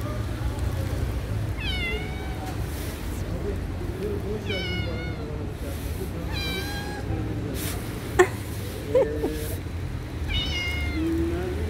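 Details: Domestic cats waiting on stairs for attention give about four drawn-out, wavering meows spaced a few seconds apart, over a steady low rumble, with a sharp click and a few soft knocks near the end.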